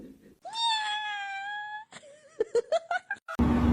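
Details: A cat gives one long, level meow of just over a second. A quick run of short, chirping calls follows, then a sudden burst of noise at the end.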